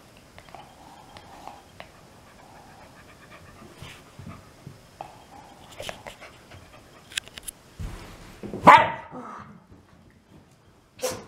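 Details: Shiba Inu dog sneezing ten times in a row indoors; a series of short, sharp bursty sneezes, the loudest near the end, with soft sniffing and snuffling between them.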